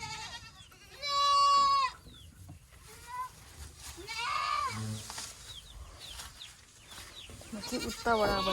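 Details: Boer goat in a Nepali village goat farm, tied to crossing local does with Boer bucks; one loud drawn-out harmonic bleat of about a second, then fainter wavering calls amid chatter and farmyard noise.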